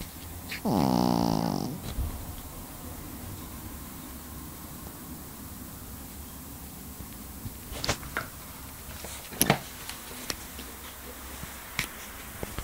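A sleeping Pekingese gives one loud, rasping, nasal snore, then the room goes quiet.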